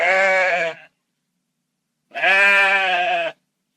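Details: Two loud, buzzy sheep bleats with a shaky, nasal quality, each just over a second long, separated by about a second and a half of silence.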